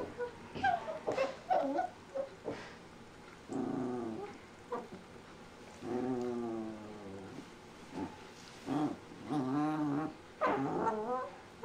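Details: Shiba Inu puppy making funny noises: a run of short whines, throaty grumbles and wavering, yodel-like cries that rise and fall, each burst lasting about a second, separated by brief pauses.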